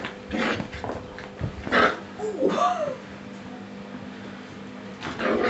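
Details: Six-week-old Springer Spaniel pups give a few short arched whimpers that rise and fall, clustered in the middle of the stretch, between louder bursts of human voices and handling noise.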